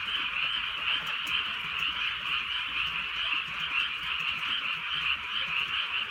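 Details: Rainy-night frog chorus from the Korean countryside, unbroken rapid croaking in high and middle bands, roughly 136 pulses a minute, faint rain hiss below.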